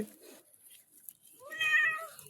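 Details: Pet cat being bathed indoors lets out a single long meow, rising at the start then leveling off, rich in harmonics, after a short human murmur.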